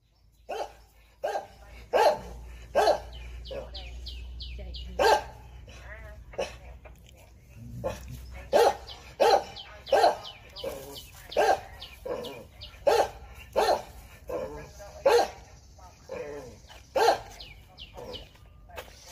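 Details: A Jindo dog facing a viper barks in sharp, loud single barks, roughly one every second, with brief gaps and faint speech in between.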